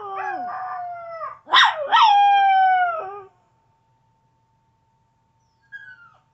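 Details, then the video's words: Chevy, a pet Chihuahua, howls in long harmonic tones that slide downward, broken by two sharp rising yelps in the middle, then silence and a brief faint whine near the end. "Chihuahua howling"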